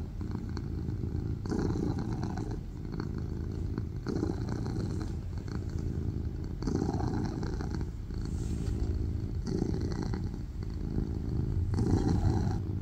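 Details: A tuxedo cat purrs loudly on a lap in a quiet room, the low throbbing rumble pulsing in regular breathing cycles about every one and a half seconds, swelling slightly louder near the end.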